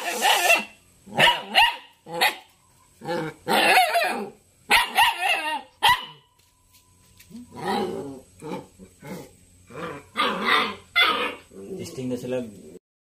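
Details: Three-month-old jet black Belgian Malinois puppy barking and growling in bursts: loud, harsh barks in quick clusters over the first six seconds, a short pause, then rougher growling barks repeating steadily to the end.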